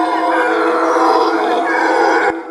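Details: A howler monkey gives a loud, sustained, rasping roar, said to carry up to 5 km, that carries steadily before cutting off abruptly.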